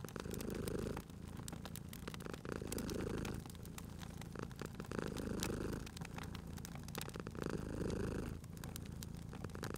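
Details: Cat purring contentedly while asleep near a wood fire, a soft vibrating drone pulsing in long swells about every two and a half seconds, accompanied by steady crackling and occasional louder snaps of the flames.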